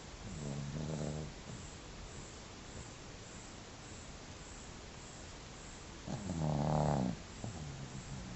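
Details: Sleeping dog snoring: two low, rough, harmonic snores, the first near the start and a louder one about five seconds later, over steady background hiss.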